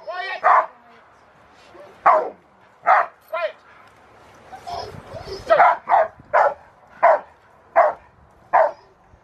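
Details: Carma v Eiche Park, a Rottweiler, barks in protection training at Victoria Rottweiler Club on November 15, 2020: around a dozen sharp, forceful barks spaced unevenly, with a brief stretch of human talking midway.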